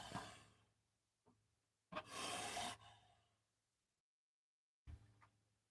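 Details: Gaboon viper giving its defensive warning noise, likened to a rattlesnake's rattle and meant to say it is there and should not be stepped on or disturbed; a loud, broadband breathy hiss lasting nearly a second, with fainter rasping puffs before and after.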